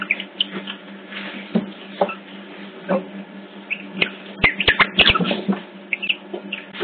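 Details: Otter pups at Hertfordshire Zoo, picked up by a hidden CCTV camera, give a busy run of short high squeaks and chirps, thickening near the end, with sharp clicks and a steady low electrical hum throughout.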